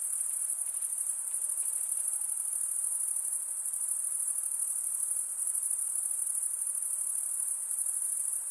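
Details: Night insects calling for meditation: a dense, unbroken high-pitched shimmer of cricket-like trilling holds steady throughout, with a faint softer hiss of further insects lower down and no other sounds.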